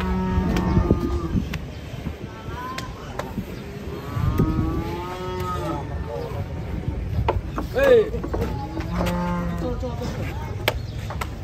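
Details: Enraged cow tumbling down while being unloaded from a truck: a series of long, low, droning moos, three main bellows drawn out over a second each, amid sharp knocks, clatter and a noisy background.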